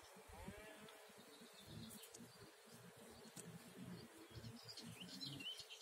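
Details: Bee working an orange blossom on 14 April 2019, giving a low, uneven buzzing hum with a brief rising whine early on, while birds chirp faintly in the background.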